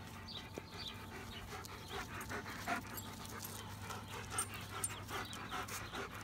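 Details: Rapid rhythmic panting from a dog, about two and a half breaths a second, soft breathy bursts over a constant low background hum.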